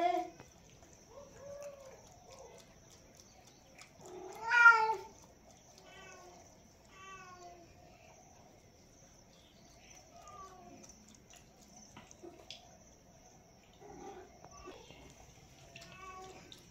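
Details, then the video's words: Cat drinking milk, mostly quiet, with one strong bright meow partway through and several faint, short mews scattered around it. "ASMR cat drinking milk"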